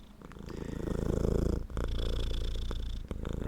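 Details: Male black domestic shorthair cat with a muscular build, kept indoors as a pet, purring loudly right into a microphone: a steady low rumbling throb with rapid regular pulses and a brief dip midway.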